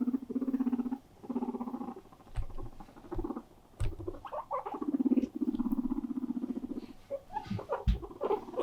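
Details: Indoor pet guinea pigs, one demanding attention and play: bursts of low pulsed rumbling purr lasting about a second each, separated by short pauses, with light scuffling and small squeaks between.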